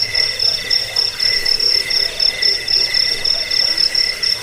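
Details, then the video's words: Jangkik cricket sound for rat repelling, sleep and songbird tutoring: shrill high trill in rhythmic pulses roughly four per second, strong and even, over a faint lower buzzing hum. "Suara jangkik pengusir tikus pengantar tidur"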